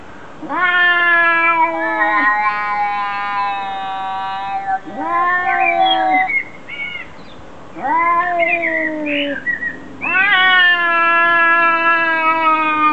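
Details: Arguing cats trading long, flat, nasal wails, each held one to two seconds with a slight downward bend, four or five in a row with brief gaps and small squeaky cries between them.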